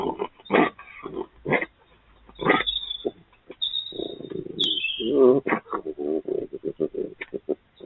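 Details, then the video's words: Urban vixen and her youngest cub, both wild red foxes, calling back and forth: scattered harsh yelping bursts, then a longer stretch of rapid, wavering, whining chatter with stacked tones and quick pulsing notes toward the end. "Urban Fox and Her Youngest Talking to Each Other"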